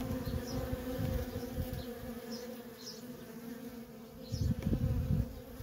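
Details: Nonstop worker traffic at a feral honey bee colony: a sustained low humming drone with a clear overtone band, a fluttering rumble building near the end, occasional faint high chirps.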